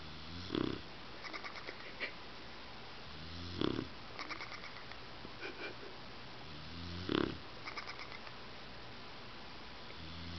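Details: Bulldog snoring while asleep, each deep, throaty snort with a rattling edge, repeating roughly every three seconds, separated by quieter wheezy breaths against a steady hiss.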